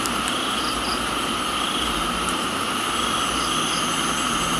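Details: Crickets in a tropical garden in Thailand, heard with rain: steady high-pitched insect trilling holds several even tones throughout, with a few faint short chirps above, over a constant broadband hiss of falling rain.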